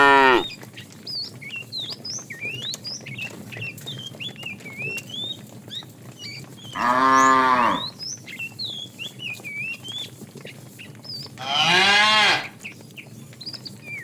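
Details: Tame, fat cow from a herd driven in the afternoon, calling the female with loud drawn-out moos: a fading one at the start, then two more about five seconds apart, each roughly a second long, over steady chirping birds.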